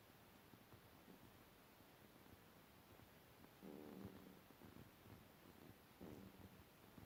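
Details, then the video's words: Sleeping pet cat snoring in a quiet room: two low, rough, buzzing breaths several seconds apart, the first longer, the second short, over a faint steady background hiss. "Mijn kat snurkt/my cat is snoring"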